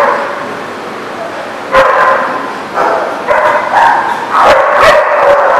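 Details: Barking dogs recorded 30 March 2018; a steady murmur of barking swells into sharp, loud barks from about two seconds, growing denser and more overlapping toward the end.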